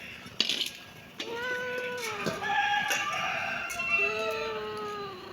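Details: Kitten meows in a drawn-out series, several long, level cries overlapping and falling at their ends, preceded by a few sharp clinks like cutlery.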